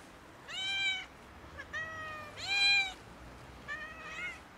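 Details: Domestic cats, a kitten among three, meowing loudly to ask for food: four drawn-out harmonic meows over about four seconds, each rising then falling, the third loudest, with a quiet room behind.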